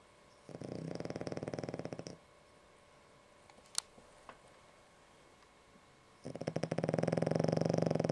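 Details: Dog named Ešli asleep and snoring, a fairly mild session by the owner's account: a low, fluttering snore of about two seconds, a quiet pause with one small click, then another longer vibrating inhale.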